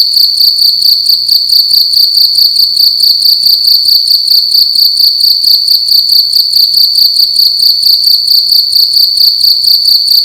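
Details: Loud night chirping from a cricket inside a room, a shrill continuous tone broken into fast even pulses, roughly two per second, steady throughout with a quiet background.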